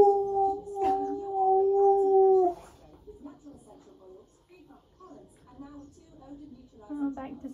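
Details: A pet husky, just woken, "sings" to himself with a long, steady, mournful howl, then trails off into soft whines.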